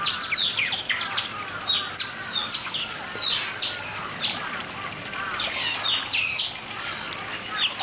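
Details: Asian small-clawed otters at Chiba Zoological Park, Japan, give a steady stream of high, squeaky chirps, several voices overlapping many times a second.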